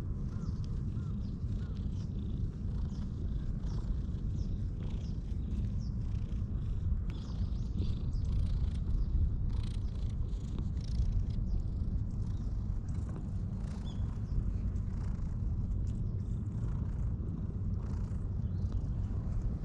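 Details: A human-shy stray cat purrs steadily while being stroked with a grooming brush, recorded on a GoPro; a long unbroken low rumble, slightly louder in the middle, with light brushing and rustling noises throughout.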